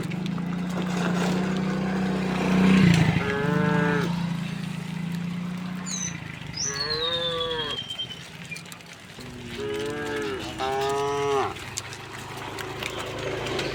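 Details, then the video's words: Thousands of tame cows and oxen walking peacefully along a rural road toward their resting place. A low steady hum opens, then three drawn-out, bending moos come in turn. A brief high downward whistle sounds between them. "the sound of cow all along the way"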